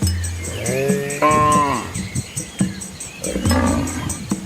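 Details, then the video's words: Asian village cows walking with their calves along a quiet rural road beside green rice fields; a low hum runs underneath while a short moo rises then falls around the one-second mark, followed by a second shorter call near the end. "Cow Sounds"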